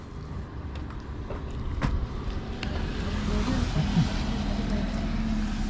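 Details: Boat or motor engine rumble with wind and a few sharp clicks, no animal voice.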